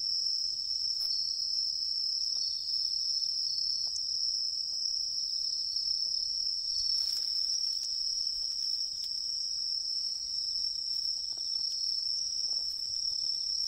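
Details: Tree cricket in autumn woodland beside a river, giving a clear, sustained high-pitched trill that holds an even pitch throughout, with only a few faint clicks and rustles in the background.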